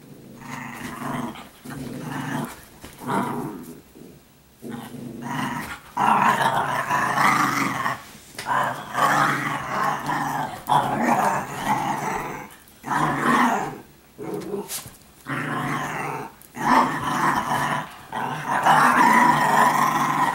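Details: Italian Greyhounds, several females, playing with each other indoors as everyday behaviour; near-continuous rough, mid-pitched growling in long bursts separated by short pauses, with scuffling between them.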